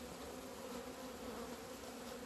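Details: Kept honey bees flying out in the sunshine in mid-February 2020 after two months indoors: an unbroken buzzing drone, low hum plus a clear higher overtone, holding level with slight wavering as insects pass.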